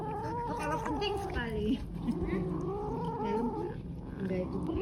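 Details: Stray cats and a kitten fighting over food while eating, giving long wavering harmonic meows and growling caterwauls that rise and fall, with a low steady hum underneath.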